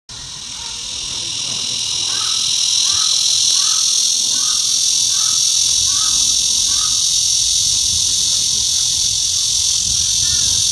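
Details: A blackish cicada (Cryptotympana atrata) in September gives a loud, steady, high-pitched buzzing drone that swells and then holds, slowly spreading its wings and raising its abdomen as it calls.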